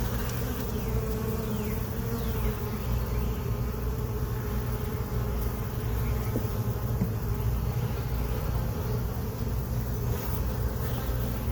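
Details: Late-afternoon inspection of a honey bee colony that moved into its hive box on April 29, 2022. A low, uniform buzzing fills the recording as frames with new comb and larvae are checked, with occasional light clicks.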